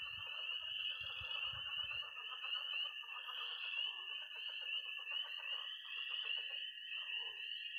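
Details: Early spring night at a pond in Missouri, full of tree frogs, croaking frogs and toads. A constant piercing peep chorus sits above a steady trill, with a pulsing, rattling croak chorus below. A few low thumps come early.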